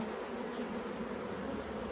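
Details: Honey bees from a 15-year-old wild hive being cut out of a house wall: a dense, steady buzzing hum with bands near 250 and 500, unbroken for the whole stretch.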